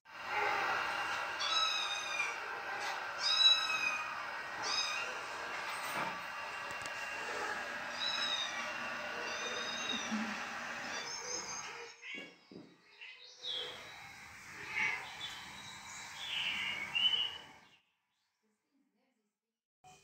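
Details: Cat calls heard by a domestic cat defending its territory; a run of short, high, upswept mewing calls repeats rapidly for about seventeen seconds over a steady humming drone, then silence.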